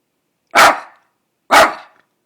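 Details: Two loud, sharp barks about one second apart from Daisy Doodle, a half dachshund half poodle female, barking at nothing outside in a quiet setting.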